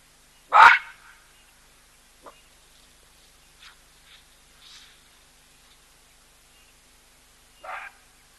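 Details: Loud baboon call at a waterhole where a wary cheetah drinks near an elephant: one sharp, forceful bark at the start, scattered faint clicks and soft noises, then a second, quieter bark near the end.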